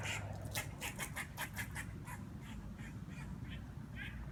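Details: A squirrel outside a patio, imitating a duck, gives a run of harsh, nasal, duck-like quacks, about three a second at first, then slowing and spacing out, over a steady low rumble.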